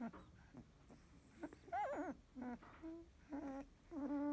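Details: Field-type Labrador Retriever puppy, 16 days old, eyes newly opened, dozing after nursing; faint, thin squeaky whimpers come in short bursts, some rising and wavering, separated by quiet pauses.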